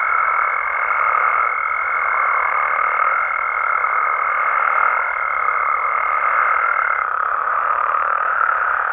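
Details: A dense nocturnal chorus of frogs and toads in natural habitat in Mexico, heard as a constant mid-pitched drone. A sustained higher pure tone rides above it for the first seven seconds, then stops while the chorus continues.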